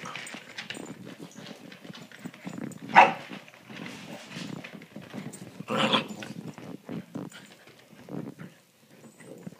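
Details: Puppies Holly and Sophie wrestle on a couch indoors on a Friday night; steady low growling with a sharp yelp near the middle, plus thumping paws and rustling.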